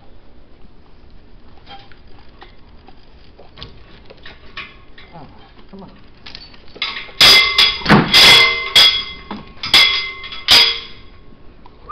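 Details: Soft rustling and faint knocks give way to loud, ringing metallic clanks and jingles in bursts from about seven seconds on, like tack being handled.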